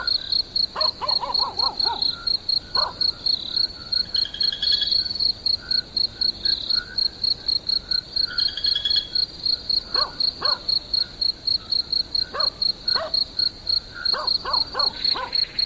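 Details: Crickets chirping as a sleep aid: a steady high-pitched trill pulsing about four times a second throughout, with scattered brief lower clicks and taps in the background.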